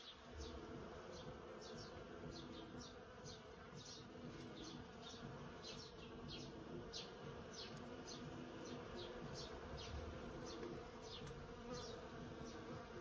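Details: About 100 bees busy in a persimmon tree make a steady, dense hum, with short high chirps flicking over the top.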